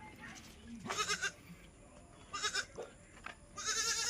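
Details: At a Shirdi goat farm raising Osmanabadi and local gavran goats, three fairly faint, shaky bleats come roughly a second or more apart over low background noise and soft voices.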